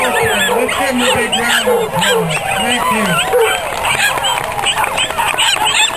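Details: Miniature schnauzers howl in short, wavering arcs that rise and fall during a singing contest at an annual schnauzer walk, over a crowd of chattering, applauding people.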